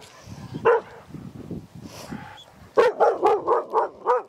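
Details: Fearful one-year-old female Australian Shepherd barking with hackles up, a first sign of anxiety; one sharp bark, a pause filled with low murmuring, then a rapid run of six loud barks about every quarter second.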